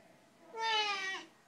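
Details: A single clear, bright meow about half a second long, steady and slightly falling at the end, from one of two chatty Siamese cats, Max and Caesar, in a quiet indoor room.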